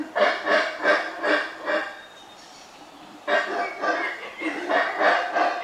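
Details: Troop of howler monkeys in central Belize calling out after spotting people: rhythmic, hoarse, pulsing grunts about three per second in two bursts separated by a brief quiet gap.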